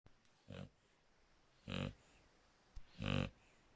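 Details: Shar Pei named Draco snoring, three broad raspy snorts with harmonic bands, uneven spacing about a second apart, quiet room between breaths.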